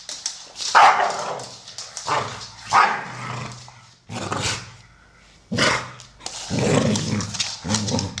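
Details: Playing American Staffordshire Terriers, brown male Solo aged 12 and grey female Shaya aged 1 year 8 months; a few sharp barks spaced about two seconds apart, then a longer growling bark near the end.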